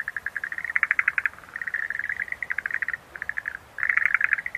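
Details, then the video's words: Chattering pulsed calls of Schlegel's green tree frog, quick strings of clicky notes coming in waves, louder clusters near the start and end, separated by a short quiet gap. "Sounds of nature scenery-Rhacophorus schlegelii"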